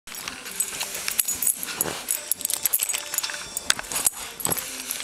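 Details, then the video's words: A dachshund digging on a couch makes a pig-like "snouting" sound: snorts and snuffles in quick, breathy bursts, mixed with scratchy rustling. "Crazy Dachshund Digging ON THE COUCH and making a weird sound..."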